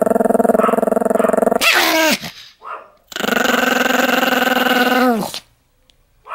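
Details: Very angry Pomeranian giving a loud, throbbing growl that breaks into a sliding, falling snarl. After a pause a second long rumbling growl runs about two seconds and ends in a downward slide, then near silence.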